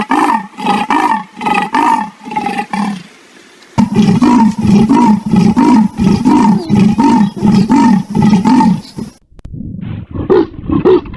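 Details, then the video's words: Leopard giving a rough, rasping call of rapid repeated grunts, about one or two per second, with a short gap near the middle and a different, quieter series of strained grunts at the end. "the sound of leopards"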